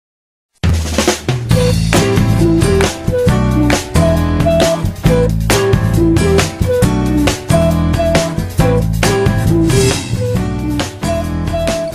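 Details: Drum-heavy music with snare, bass drum and a short melodic line, and no animal sounds. No calls of any kind can be picked out beneath the music.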